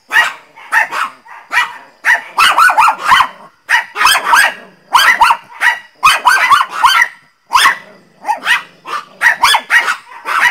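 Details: Teco the Pinscher barks angrily and very loudly in rapid bursts of sharp, harsh yaps. Tight runs of three to five barks are split by brief pauses, filling the whole stretch with little else audible.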